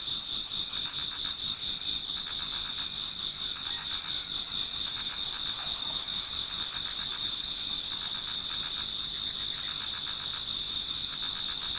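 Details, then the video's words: Autumn insect chorus in a Japanese garden just before dawn, with many callers producing a sustained shrill trill and rapid beating chirps that swell slightly in bursts. "Autumn Insects voice Towards dawn"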